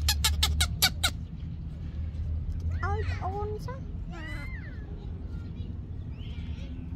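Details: Yaya's baby monkey screams for Yoyo's milk: a few short, wavering tonal cries, rising then falling, in a loose cluster midway, after a burst of sharp clicks, with low background rumble.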